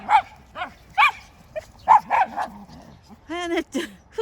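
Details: Schnauzer and West Highland White Terrier at home, 4 January 2020: a string of yappy, high barks roughly every half second, irregular in spacing, ending with a drawn-out, harmonic whine-like yelp.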